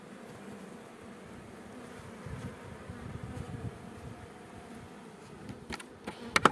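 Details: A continuous mid-low hum of honey bees swarming over opened hives at an apiary where frames are inspected, with scattered clicks and several sharp taps of handled woodwork toward the end.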